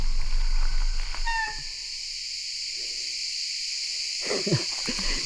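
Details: In an early-morning pine forest near İzmir, crickets keep up a loud, steady, high-pitched buzzing chorus beneath a man's voice pointing them out and background music.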